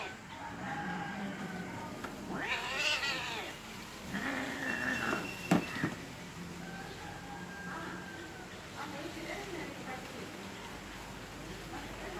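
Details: Fighting angry domestic cats: a loud rising-and-falling yowl around the third second, further strained moaning wails, a sharp click midway, and softer drawn-out growling cries afterwards over a steady background hum.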